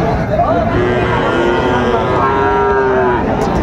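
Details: Lowing from Friesian and crossbred heifer calves at Raniganj market, Dinajpur, on 12 July 2024: two drawn-out, level moos rising out of a dense bed of crowd chatter and market noise.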